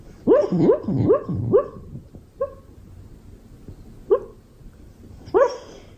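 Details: Beagle, a pet dog, giving a quick series of four bouncy, rising barks in under two seconds, then short single barks after pauses, with a faint whimpering note between them.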